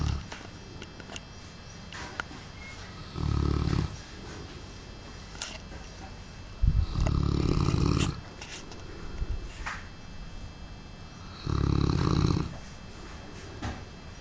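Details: A large Cane Corso dog asleep and snoring, said to snore like a helicopter; three loud, rough, rumbling snores about four seconds apart, each lasting around a second, with quieter breathing noises between them.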